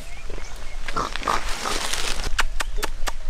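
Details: Tiny piglets with their huge mother in the Viñales valley countryside of Cuba, among tobacco farms, give short, high squeaks and snuffly grunts while a person talks nearby; piglet calls.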